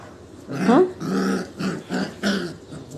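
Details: Puppies playing together, biting at one another, with short low growling and grunting vocalisations in quick bursts; a human voice is heard briefly.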